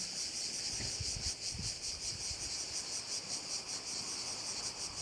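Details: Insect chorus over a bay on the Croatian island of Korčula, an unbroken shrill buzz beating in quick pulses, with a few soft low thumps early on, possibly wind.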